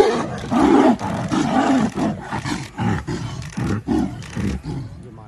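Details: Tigers fighting in Ranthambore National Park, India: a series of deep, harsh growling roars in bursts roughly every second, swelling and breaking off, with a few human exclamations nearby.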